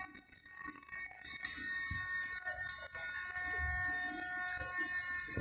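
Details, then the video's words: Crickets calling after rainfall, a continuous high, finely pulsed trill with steady tonal lines beneath, low rumbling thuds and faint voices of people in the background. "crickets making sound after rainfall"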